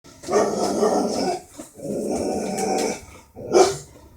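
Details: Border Collie that doesn't like birds, giving two long, rough, growly bark-howls of about a second each, then a shorter sharp outburst near the end. Little else is heard.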